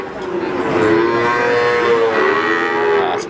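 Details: Cattle at the Wagenan cattle market in Pati: several overlapping drawn-out moos with wavering, gently rising and falling pitch, continuous busy market background.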